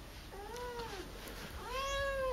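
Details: Akari, a young pet cat filmed indoors during her first two months with her owners, gives two clear meows about a second apart, each rising then falling in a smooth arch, the second longer and louder.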